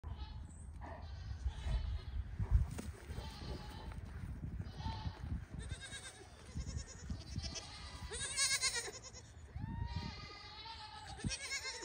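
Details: Registered Pygmy goats on a farm in Knoxville, Tennessee, USA: several wavering, harmonic bleats rise from the barnyard at intervals, one strong quavering call near the end, over steady low rumble and general background noise.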